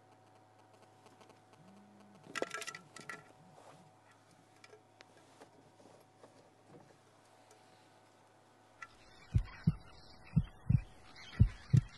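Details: A steady low hum sits under a few clicks and a clatter, with a run of low regular thumps near the end.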